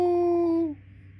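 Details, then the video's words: Rizzo, a German Shepherd Dog, singing along to Steve Miller Band music: a steady sustained howl-like tone that slides down and fades after under a second. "German Shepherd Dog Sings Steve Miller Band"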